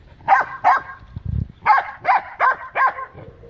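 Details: Yard-defending Great Dane and other dogs confronting loose dogs at the gate; two quick barks, a short low rumble, then four evenly spaced loud barks in under two seconds.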